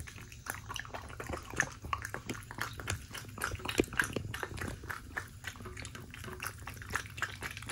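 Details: Shiba Inu eating steak, giving a steady run of wet, smacking chews and bites, dense clicky crunches repeating several times a second throughout.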